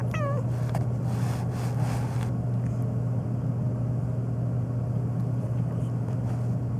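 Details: Phoebe, a black pet cat meowing nonstop on a long rant, especially in response to sneezing; one short, bright meow sliding downward opens the clip, then only a steady low mechanical hum remains.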